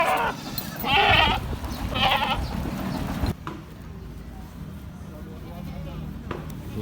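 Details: Goats at a very quiet goat market in Lhokseumawe, Indonesia: two loud, wavering, quavering bleats about a second apart, overlapping a man talking, followed by quieter market murmur and a few sharp clicks.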